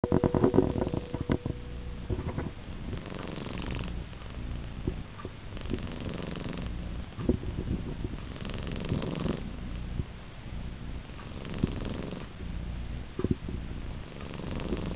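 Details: Sleeping ferret purring behind someone on a futon indoors: a steady, low, rough rumbling that pulses continuously throughout, with a few soft clicks and rustles.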